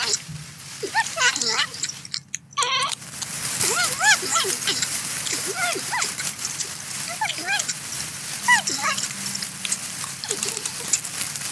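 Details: Chattering series of short arched squeaks and whimpers from a porcupine at its corn, repeated irregularly every fraction of a second over constant rustling and hiss, with one brief loud burst near the start.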